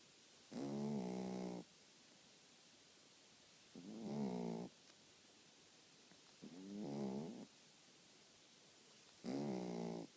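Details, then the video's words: A sleeping dog snores steadily: four low, rasping, harmonic snores, each about a second long, spaced roughly three seconds apart, with a slight pitch wobble inside each breath and quiet room between them. "my dog snoring"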